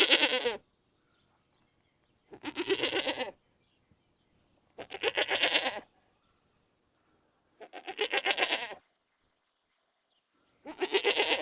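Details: Goat bleating on a farm: five loud, quavering bleats, each about a second long with a shaky, vibrating tone, spaced roughly every two to three seconds with silence between.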